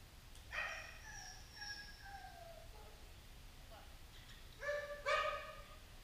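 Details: Training session where Safar, a white Central Asian Shepherd, helps train Gracie, a pointer. A drawn-out whine falls in pitch over about two seconds, and after a pause two sharp, ringing barks follow in quick succession against faint steady noise.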